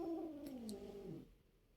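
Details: Pet cat indoors, scuffling playfully with another cat named Karamel, a low drawn-out moaning cry gliding downward for about a second, then quiet.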